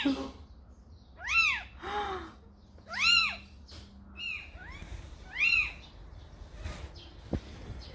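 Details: Calico mother cat, Samsaek, who carried a kitten to a house: three loud, arching, high-pitched meows about two seconds apart, each rising then falling, with a few softer shorter mews between them and a sharp knock near the end.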